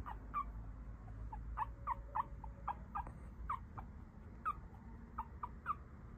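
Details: Papillon puppy, a male from a litter of four siblings, growing up with its mother: faint short high squeaks and chirps, about a dozen scattered irregularly, some with slight upward inflection, over a steady low background rumble.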